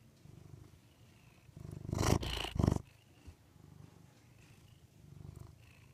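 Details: Rudy the pet cat purring indoors in a soft, pulsing low rumble, interrupted midway by a loud burst of rustling and scraping before the purr resumes.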